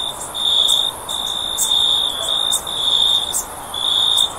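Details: A cricket trilling for sleep: high, ringing bursts about a second long with short breaks between them, accompanied by occasional crisp high clicks.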